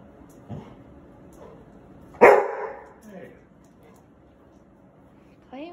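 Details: Labrador Retrievers Sadie and 8-month-old Cedar playing together in New Mexico; after a quiet, rumbling stretch one sudden loud, harsh bark bursts out, followed by a low grumble, then a woman's voice begins speaking.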